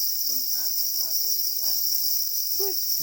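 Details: Black crickets calling angrily while guarding their eggs: a dense, unwavering high trill persists throughout, with human speech layered on top.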